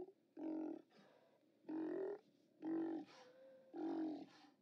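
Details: Steller sea lions at the OrcaLab haulout, 29 October 2017, give four loud, harsh roars about once a second, each roughly half a second long, with a brief tonal note between the third and fourth.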